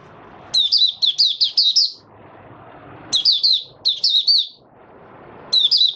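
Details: Mata puteh, a caged white-eye, opening its song on 8 January 2022: repeated phrases of quick, high, bright warbled notes, five or six to a phrase, with a faint low rumble behind.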